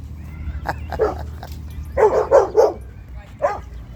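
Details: At a dog park, Zuma the Cane Corso, a female, asserts herself over other dogs with rapid, rough barks, a few scattered at first, then a tight burst of three followed by one more.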